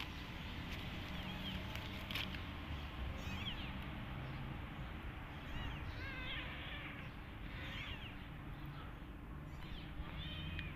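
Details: Nursing mother cat with her own kitten and orphan kittens that play rough; thin, high, wavering mews recur every one to two seconds over a steady low hum and rumbling background noise.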